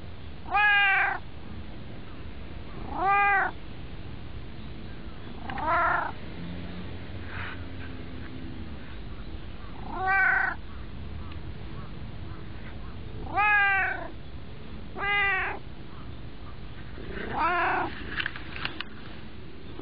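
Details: Domestic cat, white, perched on a person's lap, meows again and again, short arched calls spaced every two to three seconds, about seven in twenty seconds, over faint indoor rumble.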